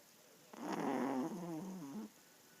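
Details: A male Yorkshire Terrier gives one loud, rattling snore of about one and a half seconds, rough and vibrating, dipping in pitch toward the close, then quiet.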